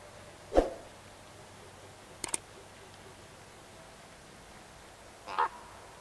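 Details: Roe deer from a small wild herd of young bucks and does: two short, harsh, bark-like calls roughly five seconds apart, separated by a pair of faint clicks, over a quiet hissing background.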